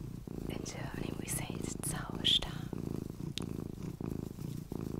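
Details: Pet cat purring close up indoors, rhythmic low rumble rising and falling with each breath, while a person whispers softly over it and a faint squeak sounds midway.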